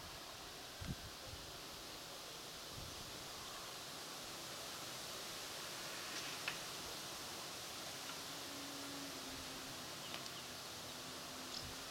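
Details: Steady broadband hiss like wind or rustling, with a few faint knocks and no clear animal calls.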